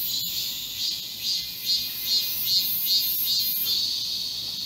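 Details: Midsummer cicada chorus recorded in a garden during a heatwave on 31 July 2022, a sizzling high buzz rising and falling in even pulses, with one sharp tap near the start.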